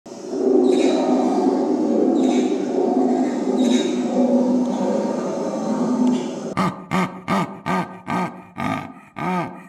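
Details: Zoo animal giving a long, deep, rough roar for about six seconds, followed by a rapid series of short, throaty grunts, about eight in three seconds, each rising and falling.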